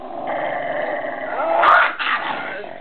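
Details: Jack Russell Terrier growling in a long, steady, nasal rumble that swells louder midway, with a brief higher-pitched yelping burst before settling back into the grumble.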